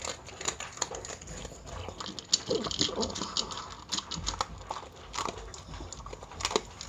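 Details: Miniature Pinscher eating dog food at mealtime, with rapid crisp crunching clicks from chewing kibble, scattered irregularly throughout, over a steady faint background hiss indoors.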